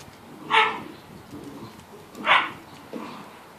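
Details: Great Dane puppies, 7 weeks old, playing in a crate give two short, bright yips about two seconds apart.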